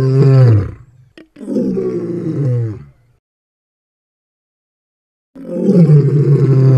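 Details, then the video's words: Lion producing throaty, rumbling roars: a short descending roar, a brief catch of breath, a longer rough roar, then silence before another loud, deep roar starts. "أصوات الحيوانات صوت الأسد - animal sounds lion"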